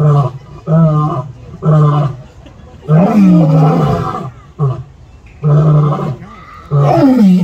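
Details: Lion in a San Diego Zoo enclosure giving a series of short, deep grunting roars spaced roughly a second apart, with a longer swelling roar in the middle and a man's voice briefly heard.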